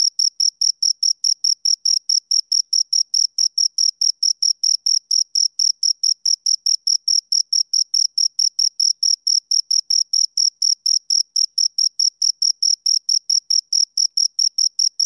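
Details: Steady cricket chirping from two crickets, rapid high-pitched pulses repeating a little over twice per second per caller, forming a continuous even trill with a faint upper overtone; background otherwise silent.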